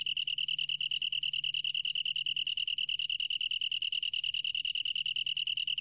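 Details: Steady high-pitched trill of a long-tailed tree cricket, a rapid pulsed chirring that never breaks. Faint beats of loudness repeat about three times per second over a soft low-frequency hum.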